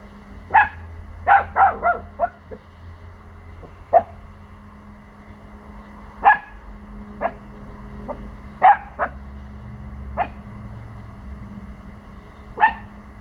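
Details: Four-month-old male Pomsky puppy barking defensively at unfamiliar sounds from the neighbours' house: quick clusters of two or three sharp barks, then single barks every second or two, against a low household hum.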